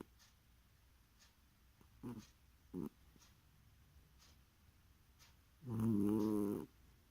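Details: Sleeping domestic cat snoring: a single loud, harmonic, slightly wavering rasp near the end, preceded by two short soft snorts and faint regular ticking in a quiet room.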